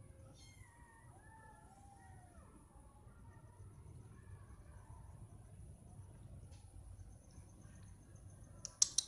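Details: Cats calling out because they want food or attention; a run of short, wavering meows in the first few seconds, then quieter murmurs over background hum, ending with a couple of sharp clicks.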